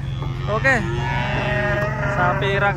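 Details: Giant cattle arriving by truck in the morning: a flat, prolonged lowing moo running under short shouted human calls, with constant low engine hum.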